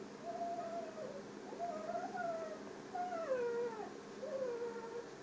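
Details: English springer spaniel whimpering: four drawn-out, high whines, each held then sliding gently downward, spaced roughly a second apart against a quiet room hum.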